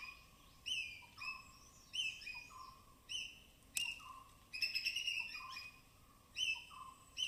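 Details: High-pitched calls of native forest squirrels among wet evergreen branches in the Western Ghats' Tamhini forest; separate bright chirp-and-tone notes spaced about a second apart, with one brief buzzy rattling burst midway.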